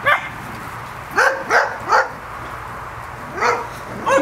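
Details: Seven-week-old Welsh Terrier puppies from a first litter at play, giving sharp high yips and short barks, three in quick succession then two more after a pause, over a low steady hum.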